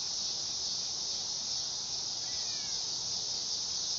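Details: A steady, piercing insect whine from a dog-day cicada holds at one high pitch throughout, while a faint, thin bird chirp slips in briefly around the middle.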